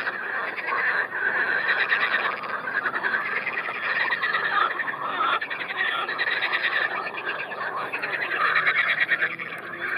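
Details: A busy gathering of edible frogs at the Triolago lake, heard from the bank while the frogs stay well away from shore. Continuous buzzing, rattling croaks from many callers swell and fade in waves.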